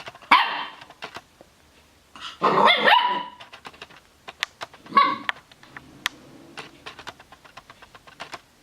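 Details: Puppy giving three separate high, sharp barks spaced a couple of seconds apart, the middle one longest and slightly rough, with faint clicking and tapping sounds in between.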